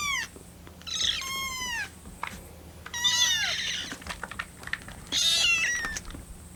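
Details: Young rescue kittens, Lucy among them, cry for milk that is still cooling on their 25th day in care. Lucy's calls have a quavering, bird-like vibrato. Repeated high, quavering mews, some rough and buzzy, follow in bursts.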